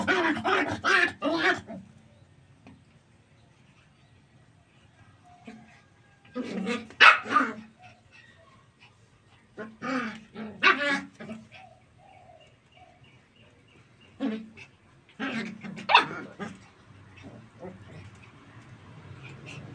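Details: Puppies playing in tight areas, running and jumping, give sharp yipping barks in short bursts of several barks each. The bursts are separated by quiet pauses of a few seconds, with faint background hum in between.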